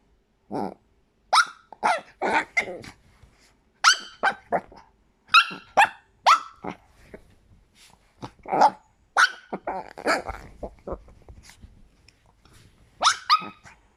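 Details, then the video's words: Chihuahua barking in a rapid, irregular series of shrill, squeaking yaps, often grouped in twos and threes, with short pauses between them and a faint low rumble beneath a few calls. "Chihuahua als Quietschtier"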